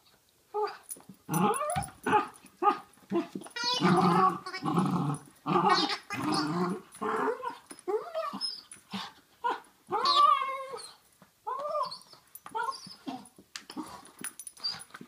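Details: A basenji mix dog playing with a wobbling giggle ball gives rough growls and warbling, yodel-like cries in quick bursts.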